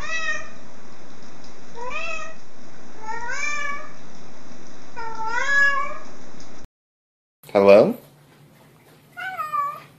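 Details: Domestic cat greeting, answering a person's hello with four clear meows, each rising then falling, spaced about one and a half seconds apart over a steady low hum, then a brief pause, a loud sharp sound and one more meow.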